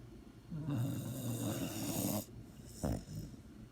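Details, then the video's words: A sleeping dog snores in one long rasping, buzzy breath lasting about a second and a half, low and rough, then a short snort follows after a brief pause in a quiet room. "THE SNORING DOG"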